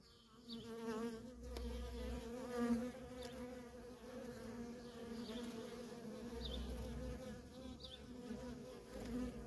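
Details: Nonstop traffic of worker honey bees at a feral colony: a dense, continuous low buzz holding an even drone throughout, with faint short higher tones flickering above the hum.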